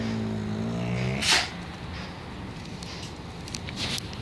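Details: Zara, an angry she-wolf at the wild animal shelter of the Spasi Menya animal protection fund, gives a low, steady, resonant growl lasting about a second, followed by a sharp noise and quiet indoor background.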